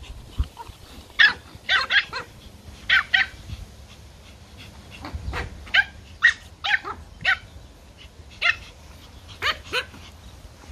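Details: Pomeranian puppies, toy poms, playing in a garden, give many sharp high yapping barks in irregular bursts, about fifteen in all, with faint low rumbling between.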